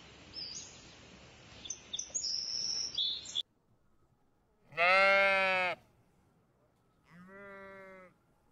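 A sheep gives two wavering bleats, a long loud one followed by a shorter, softer one; chirping birds and background noise come before them.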